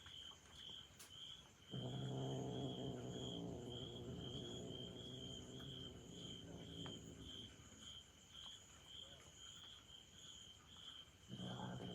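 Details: Char, a one-year-four-month-old orange tabby kitten left out of a trial, furious at his mother cat, gives a long, low, rumbling growl lasting over five seconds, then starts another, over steady pulsing crickets.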